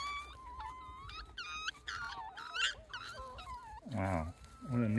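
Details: Wild Japanese raccoon dog (tanuki) pups from a family of about eight pups with their parents, at Kushiro Marsh observatory walkway, Hokkaido, give high, thin, wavering, sliding whining calls, with people talking at the end.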